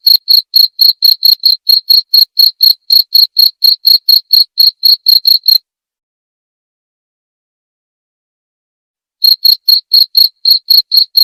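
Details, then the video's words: A cricket calls in a rapid train of brief, high chirps, roughly four per second, for over five seconds. It falls silent for nearly four seconds, then resumes the identical pulsing rhythm. "Suara Jangkrik"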